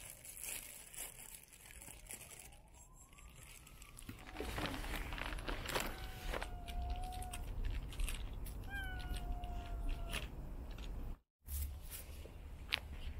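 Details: A hungry black and white stray kitten greets a person with meows, drawn-out tones that rise and then level off, at about 6.5 and 9 seconds, over steady traffic-like background noise and a brief dropout near 11 seconds.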